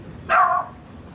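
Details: A neighbour's dog next door, recorded on a Sony FDR AX100 camera, gives a single sharp bark, harmonic and mid-pitched, over quiet background hum.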